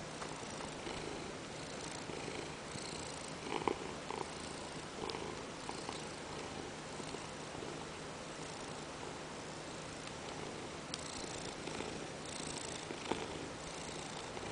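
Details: Ragdoll cat Peanert, settled on a lap and demanding to be petted, keeps up a quiet continuous purring drone, with occasional soft rustling and brief taps over the even low hum.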